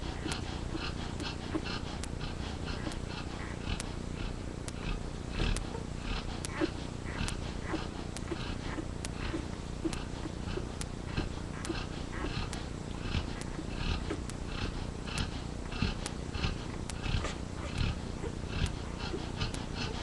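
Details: Yellow Labrador Retriever mother snoring in her sleep while two of her puppies nurse, with another dog asleep nearby; a steady, low, rasping breathing rhythm punctuated by faint clicks and suckling noises.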